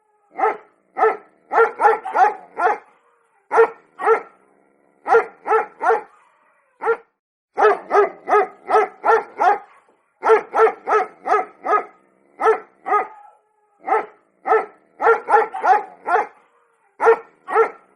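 A Pomeranian barks in sharp, high, yappy bursts, often in quick runs of three or four.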